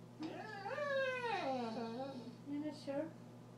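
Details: Male border collie indoors talking back, arguing when he feels his owner is wrong: a long wavering, howl-like whine that rises, holds, then slides down, followed by two short higher yelps.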